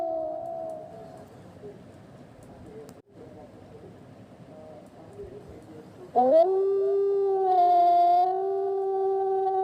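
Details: A wolf in a forest at night lets out a long, smooth howl that swoops upward, then holds a steady, mournful note.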